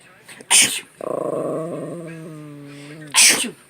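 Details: Chubby male Chihuahua who hates sneezes, reacting to a person's sneeze: a sharp sneeze, then a steady, tonal, grumbling growl of about two seconds that slowly falls in pitch, followed by another loud sneeze.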